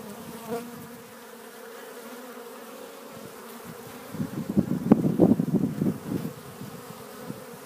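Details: Spring pollen foragers, honey bees at a Warre hive entrance on April 12th; soft background hum for four seconds, then loud, wavering close buzzing of bees passing near for the remaining few seconds.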